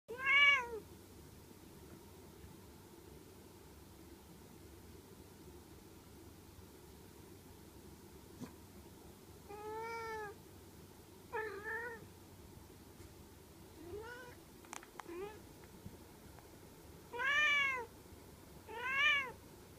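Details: Domestic cat meowing while playing with a toy indoors; short, high, clear meows scattered through the recording, some in quick pairs, with quiet gaps and a few soft clicks between them.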